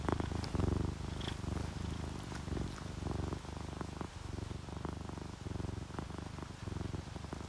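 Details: Sleeping orange tabby and calico cats purr contentedly indoors beside a rainy window; a deep, steady rumbling vibration rises and falls with each breath in cycles of roughly half a second, with faint patter in the background.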